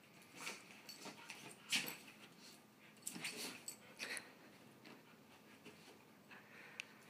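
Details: A Chihuahua and a Husky at play; quick breathy huffs, soft whimpering wheezes and rustling scuffles rise and fall in short clusters, loudest near the start and middle.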